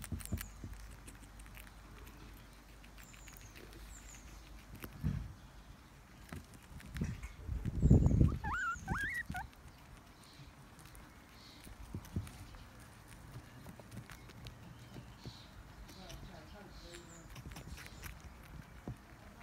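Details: Baby guinea pigs fighting over celery: a few short high rising-falling squeaks scattered among soft pattering and rustling, with one louder burst of squeals and scuffling in the middle.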